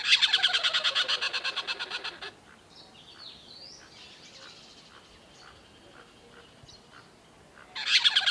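A tree squirrel gives a fast, harsh chattering call, rattling off several rasping notes each second.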